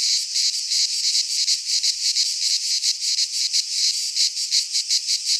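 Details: In a Greek pine forest at midsummer, cicadas sing a piercing, buzzy drone, pulsing quickly and evenly throughout, loud and uninterrupted.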